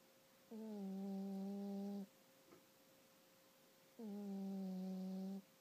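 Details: Hazel the cat, a female, fast asleep and snoring loudly, not waking even when the blanket is lifted from her face; two long, low, droning snores about three seconds apart over a steady faint background hum.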